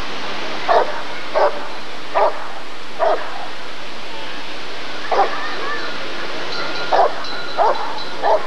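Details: Rottweiler barking at a 1994 ADRK breed survey (Körung): eight single barks at irregular intervals of roughly one to two seconds, with a pause in the middle and a low crowd murmur throughout.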